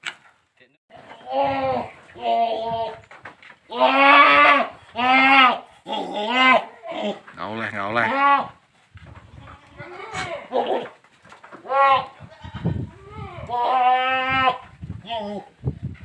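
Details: Boer goat being crossed with a young goat on a village farm: a long run of wavering, nasal bleats, several in close succession, some rising then falling, with people talking between and over the calls.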